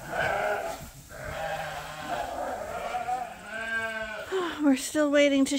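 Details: Sheep on a Suffolk and Poll Dorset farm at grain-feeding time; a woman talks over the flock before several quavering bleats rise toward the end, one sliding downward in pitch.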